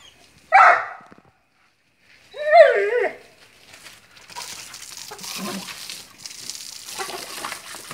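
A Vizsla lets out two high, quavering whines, each under a second long and wavering in pitch. Afterward come softer rustling sounds and a person speaking.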